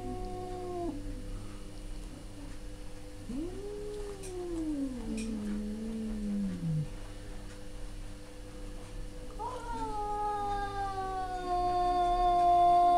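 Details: Two male cats yowl back and forth in drawn-out, wavering cries. One is a long moaning call that rises, then sinks low. Another rises sharply and holds a sustained, strained note that grows louder toward the end. A steady background hum continues throughout.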